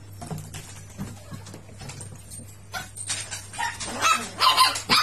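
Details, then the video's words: Miniature Pinscher, described as very rowdy. Quiet at first, then sharp, harsh barks burst out in a quick cluster in the last two seconds, over a steady low electrical hum and faint background music. "Chó phốc hươu"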